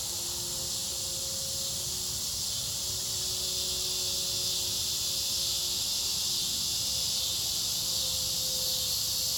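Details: A continuous shrill cicada drone runs through the whole stretch, mixed with a low rumble and two steady mid-pitched hums from nearby machinery.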